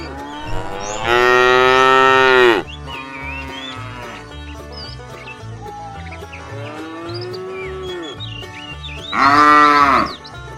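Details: Cattle from a tame herd setting off toward fresh pasture: two loud, sustained moos about eight seconds apart, with a softer falling low moo between them and faint chirping birds in the background.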